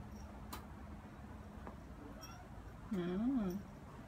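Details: Seven-month-old neutered Ragdoll cat named Ao, walking outdoors through a newly opened apartment complex in Korea. One wavering, rising-then-falling meow of under a second, with a steady low hum underneath.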